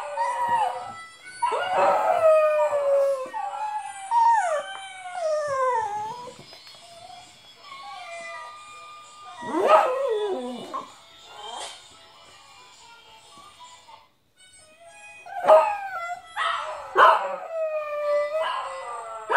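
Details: Domestic dog howling, or 'singing', along with a playback of himself howling to a mouth organ: long wavering howls that slide up and then fall, in bursts separated by pauses, with the harmonica tune behind and brief praise from a person.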